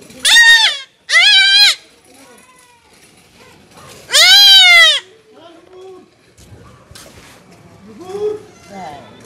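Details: Young goat being castrated cries out in three loud, quavering bleats over the first five seconds, followed by a quieter stretch with faint low voices and handling noise.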